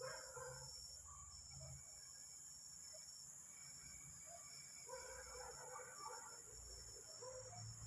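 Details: At night, a locust gives a steady, shrill, high-pitched buzz that drones on without a break, loud enough to wake the listener.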